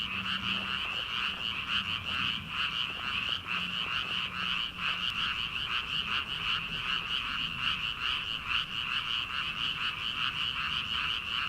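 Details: Many frogs calling from rice paddies on an early-summer night, before rice transplanting begins; a dense, unbroken chorus of rapid pulsing croaks, with bright high trills layered over a lower rattling band throughout.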